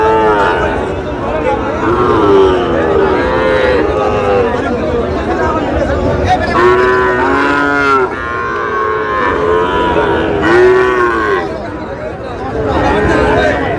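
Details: Sahiwal bull calves at a Tangail livestock market, Bangladesh: many overlapping, drawn-out moos, some rising then falling, in quick succession from several animals, with loud crowd chatter and haggling voices throughout.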